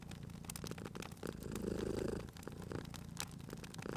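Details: Sleeping cat by a crackling fireplace, cozy spring ambience. A soft continuous purr builds into one fuller rumbling swell in the middle, with scattered crisp crackles and pops from the fire around it.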